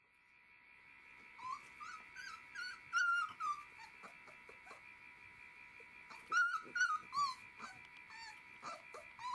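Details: A Galgo Español litter at 19 days old in a kennel: faint high, wavering whimpers and squeaks repeat irregularly over a steady background hum, with clicking and rustling.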